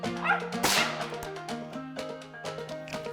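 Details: A female mountain feist on a squirrel hunt, having treed a squirrel, gives sharp, repeated treeing barks, about two a second, over steady background music.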